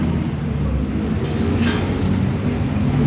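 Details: A loud low vehicle rumble dominates, broken by a couple of brief metallic clinks, with no animal call.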